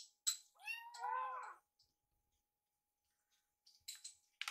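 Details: Foster kittens watching a microwave while waiting to eat. A brief squeak comes first, then one drawn-out, wavering kitten meow, a long silence, and a few faint scratchy sounds at the end.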